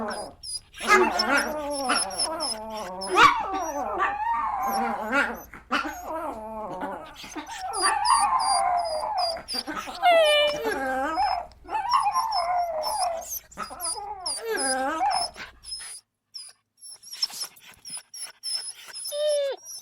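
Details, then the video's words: Small dogs giving a busy stream of high, wavering whines and yelps that bend up and down in pitch, with thin high squeaks over them and a low hum beneath; it falls quieter near the end. "Sounds of small dogs"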